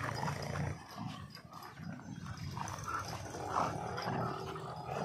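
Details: Dogs fighting in India, a German Shepherd against a Labrador; rough low growls and snarls churn through the scuffle, with short harsher bursts over steady background noise.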